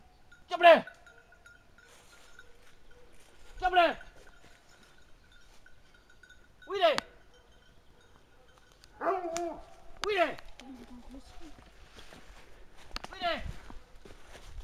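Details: Hunting hounds holding a wild boar at bay, giving loud, arched, yelping bays in short bursts, about seven over fifteen seconds at uneven intervals, two coming close together midway, with quiet gaps and a faint steady tone behind.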